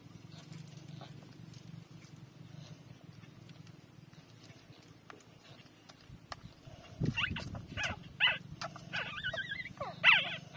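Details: Newborn puppies, three days old, nursing from their mother; a quiet stretch of shuffling gives way to high squeaky whimpers with wavering, rising-falling tones near the end, over a low steady hum.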